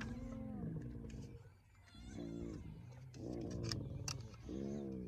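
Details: Hyenas mobbing a young male lion at dawn in the Sabi Sands, South Africa: several overlapping wavering harmonic calls, some sliding down, in quick bursts, with scattered clicks and a faint engine-like rumble.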